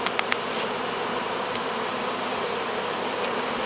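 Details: Honey bee swarm being hived, bees marching into the hive: a dense, steady buzzing hum with low droning bands, broken by a few sharp clicks near the start.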